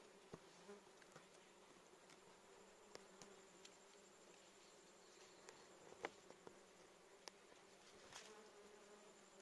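A honey bee's steady, low droning buzz hums throughout, with a few faint clicks.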